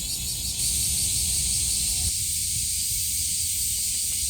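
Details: Cicadas on a summer day at Kasai Rinkai Park in Tokyo, a continuous high, hissing drone with no breaks, and a low rumble of wind or distant traffic underneath.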